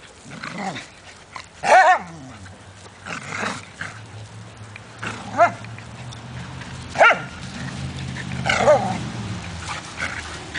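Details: Dogs playing in a yard, among them a pit bull, a poodle, a lab/golden mix and an Australian shepherd. Five loud, ringing barks and yelps come at irregular intervals of about two seconds over a low, steady background hum.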